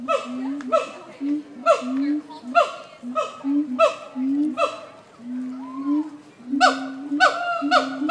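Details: Siamang apes at a zoo give loud, abrupt barking hoots repeated about once a second over a steady droning tone.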